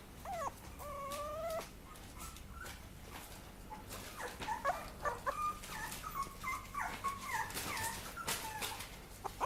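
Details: Papillon puppy whimpering: a series of high, thin whining tones, some level and some bending up or down, repeated in short bursts, with clicks and handling noises.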